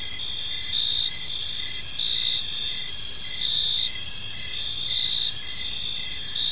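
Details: Park crickets at evening, overlapping shrill trills and pulsed chirps recurring close to once a second, loudness swelling gently in waves over quiet low-frequency noise.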